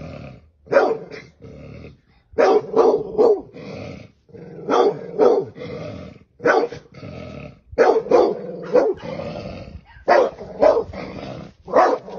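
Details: Dog attacking a snake, barking furiously in uneven bursts of two to four harsh barks, separated by snarling growls, continuing without a break for over twelve seconds.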